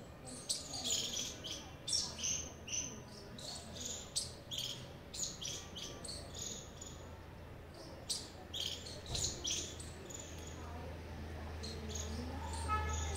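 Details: Squirrel giving a long series of high, clipped chirps, roughly two a second and fairly steady, against a low hum and faint background noise.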